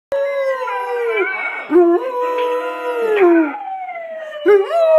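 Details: Domestic dog, possibly part ridgeback, howling in response to a recording of a ridgeback howling and playing a keyboard; long wavering tones that slide and fall, with several howls overlapping in the same stretch.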